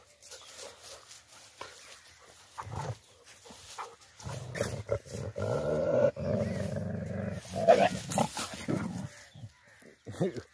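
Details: Dogs during mating season, romancing and fighting, in Sindh: low rough growls and a sustained whining, moaning cry rise in the middle, broken by scuffling sounds, with short quiet gaps before and after.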